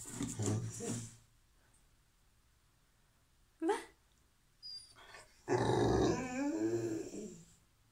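A Rottweiler whines and grumbles in excitement, wanting her toy, with a person speaking briefly.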